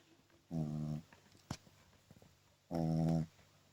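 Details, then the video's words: Sleeping French Bulldog puppy, two months old, snores loudly in two rasping, low buzzy bursts about two seconds apart, with a faint click between them. "Французский бульдог , щенок 2 месяца ,Жорик храпит"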